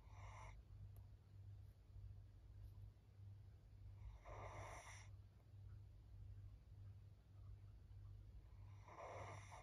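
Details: Maria, a 13-year-old fawn female senior Pug in Japan, recorded 14 April 2024, snoring: three raspy, broadband snore breaths about four to five seconds apart over a steady low hum.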